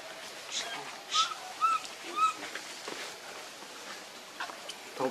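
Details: Baby monkey named Leo, hungry and crying to beg its mother for milk: three short, clear, whistled squeals at an even pace mid-clip, with rustling and faint voices around them.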